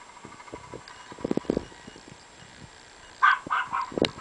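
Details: A Chihuahua puppy being mean to a bigger Chihuahua, kept as pets: soft scuffling and clicking taps early on, then a quick run of short, high, tonal yaps and squeals clustered near the end, with a final sharp yelp.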